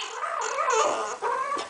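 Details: French Bulldog; talking vocalization; responding to its owner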